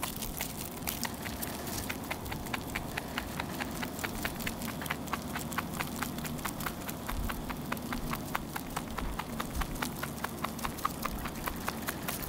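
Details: A Netherland Dwarf rabbit chewing its food, with quick, crisp crunches repeating several times a second.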